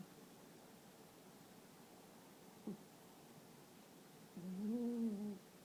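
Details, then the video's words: Sleeping female toy poodle snoring loudly: a single nasal, whistling breath near the end, steady in pitch for about a second, after a long quiet stretch with one small tap. "Rara snores too loudly while sleeping."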